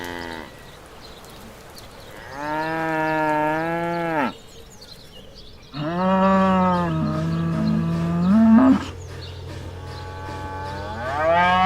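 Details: Farm cow lowing: three long, rich moos, each about two seconds, the first steady, the second rising slightly in pitch near its end, the last beginning just as the recording stops, with quiet gaps between.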